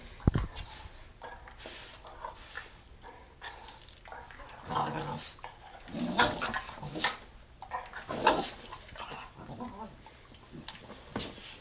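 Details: Two German Shorthaired Pointers, a small spunky male and his larger mother, play-fighting in a living room; scattered rough growls, snorts and scuffling bursts, with a man's brief speech and laughter in the background.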